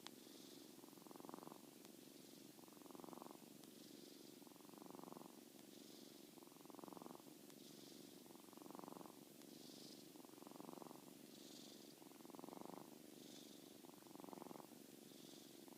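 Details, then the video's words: Seven-week-old kitten Molly, sound asleep, snores steadily: about nine rough, pulsed breaths, each lasting roughly a second, recur at an even pace with faint airy hiss between them. "Molly the Kitten Sleeps & Snores"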